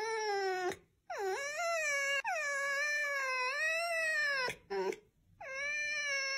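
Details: Red fox (Vulpes vulpes) uttering long, wavering, moan-like whines. The calls swoop down, rise again and hold, broken by short silences and clicks, with a final rising whine.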